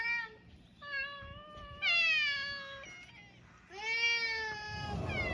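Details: Island cats of mixed breed on a Japanese cat island: several long, steady meows, a few short notes between them, the final call loud and sliding slightly downward, with a brief rustle at the end.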